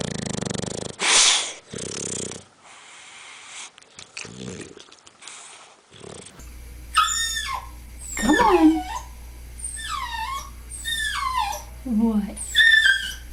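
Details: Domestic dog heard first through rough, breathy snorting and wheezing bursts, then several short howls: wavering, harmonic tones that rise and fall in pitch, each about a second long, with brief pauses between them and a steady low hum behind.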